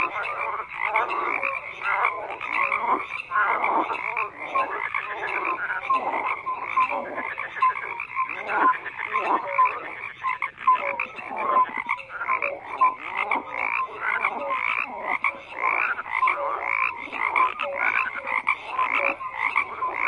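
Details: Many frogs croak together in a continuous, crowded chorus. Rapid raspy pulses and chattering notes overlap without pause, with scattered short tonal blips rising above a thick, buzzy wall of calls.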